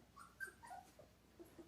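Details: Giant Schnauzer puppy whimpering during play, biting another dog's tail indoors: a few short, soft, high whines sliding downward, then faint squeaks, with a woman speaking around it.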